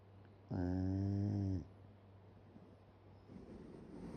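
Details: Sleeping Shiba Inu, mouth open, lets out a single drawn-out snore lasting about a second, a deep buzzing rasp rich in overtones, followed by quiet breathing and a constant low hum in the room.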